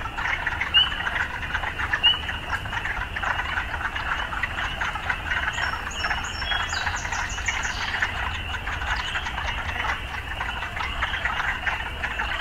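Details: An urban frog chorus forms a continuous, even wall of rasping croaks with a faint low hum beneath and some scattered high chirps near the middle.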